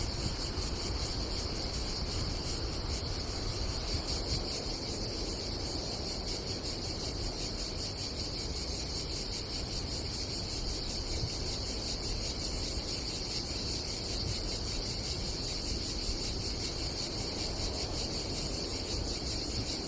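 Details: A cicada chorus at a campsite above the Adriatic Sea, Croatia, in summer, keeping up a constant pulsing high-pitched buzz for twenty seconds, with a soft roar of sea and wind beneath.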